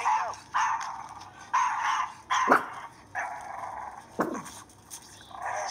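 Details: Chihuahua in the Florida Panhandle barking at a non-venomous black snake: high, sharp yappy barks in irregular bursts about every second, some drawn out into short whines.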